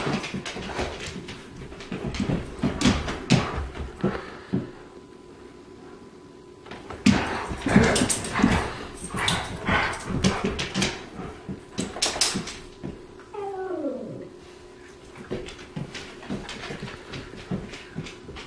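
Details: A rescued New Guinea singing dog named Bull, howling indoors at the start of the day, gives a short wavering tonal howl that bends downward near the end, preceded by clattering, thumps and small yips in a small room.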